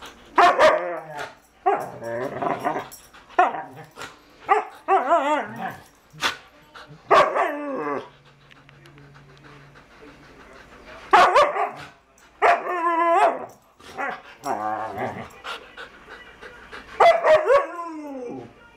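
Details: A dog that wants to play with another dog gives bursts of high, whiny yelps and short barks, some sliding downward, in quick runs separated by a quieter gap midway.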